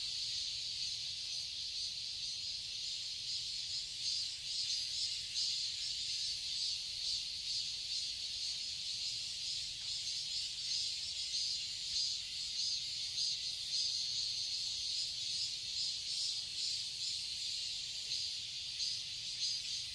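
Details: Summer garden chorus of cicadas in Seoul, Korea, a continuous shrill buzzing wall of sound with soft rhythmic pulsations, steady in loudness, with a faint low rumble beneath.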